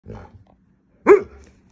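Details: Alaskan Malamute named Burton, a pet dog that yells when happy, sad or annoyed; one short harsh vocal burst rising then falling, after a faint low grumble, indoors with its owner talking.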